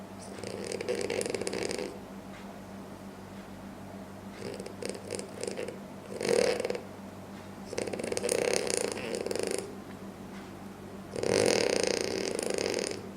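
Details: Loud snoring from a French Bulldog while asleep, five rasping, noisy breaths roughly every two to three seconds, including a short sharp snort in the middle, with a faint constant hum underneath.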